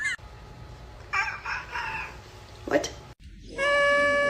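A domestic cat makes strange, broken cries that sound almost like crowing, then holds a long, level, reedy yowl. People laugh, shout and talk over parts of it.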